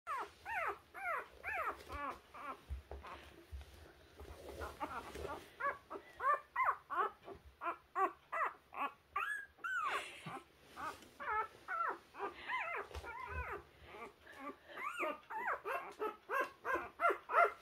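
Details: Puppies trying to find their way, apparently struggling to climb up; rapid high whines and squeaks repeated about three per second throughout, several pups overlapping, indoors.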